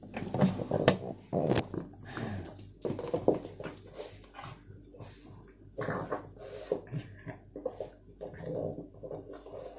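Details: Pet pug crying because his toy has fallen down out of reach; a string of short, noisy whines and snuffling bursts comes every half second or so, uneven in loudness, with a man's voice nearby.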